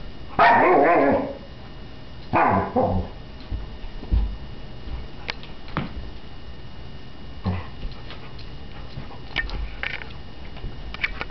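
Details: Frustrated female Alaskan Malamute puppy playing with a bowling ball too heavy to lift gives two short, throaty roos in quick succession, followed by sporadic clacks and bumps of the ball on the floor.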